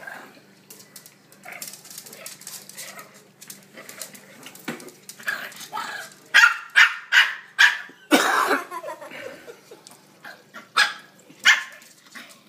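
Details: Two Shih Tzus, a younger dog and an older, slower one, play-fighting indoors at home; soft scuffling and murmured human voices at first, then a run of sharp, high yappy barks in quick bursts, several per second, during the second half.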